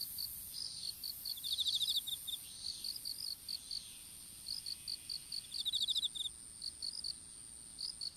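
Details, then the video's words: Open-field strawberry patch where seedlings are being planted; insects give clusters of sharp high chirps in irregular groups, with two quick buzzy trills standing out and a continuous faint high hum behind. "虫の鳴き声in いちご畑"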